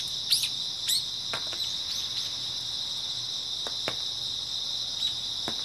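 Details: Grass insects on an early autumn night, a dense, steady high-pitched trilling chorus with no breaks. Sharp crackles and clicks pop through it now and then.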